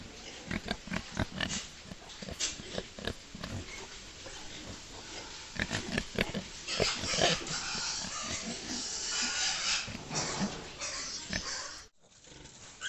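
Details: Farm pigs, domestic or wild, in a noisy chorus of harsh grunts and raspy, squealing bursts, about two per second, overlapping and loud, ending abruptly in a short silence before a final grunt.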